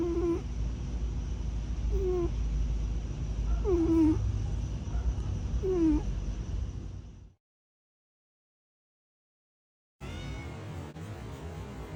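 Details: Male grey tabby foster cat, a warehouse cat said perhaps to be longing for his missing brother, gives soft, drawn-out falling moans every two seconds or so over a low rumble, then silence and a short noisy segment.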